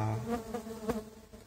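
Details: Steady hive drone of stingless bees (Tetragonula biroi) from a feral colony moved into a box, heard during the first inspection one month later; a smooth layered hum with a few soft knocks.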